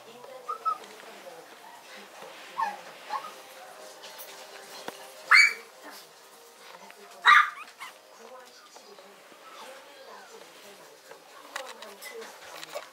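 A Yorkshire Terrier gives a few sharp, high-pitched yips spaced a couple of seconds apart.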